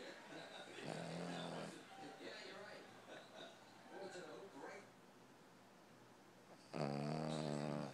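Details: Boston Terrier dog snoring indoors, described as sounding like an engine: a long, buzzy, harmonic inhaled snore near the start and another loud one at the end, with quieter rustly breathing between.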